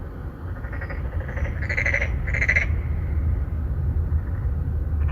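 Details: Three or four narrow-mouthed frogs, males seeking females, calling from a pond in an apartment complex in Songdo, Incheon, Korea, recorded on a phone: two short pulsed croaks near mid-clip over a loud low traffic rumble.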